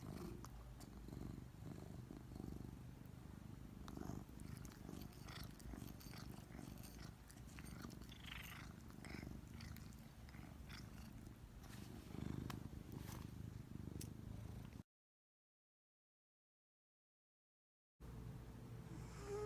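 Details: Soft, continuous purring and snoring from a giant Maine Coon cat at rest, a deep rumble with gentle rhythmic breaths. It breaks off into a few seconds of silence before resuming briefly.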